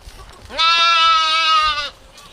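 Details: A single goat in a village lets out one loud, sustained bleat of well over a second. The call is steady and nasal, with a slight quaver, against quiet surroundings.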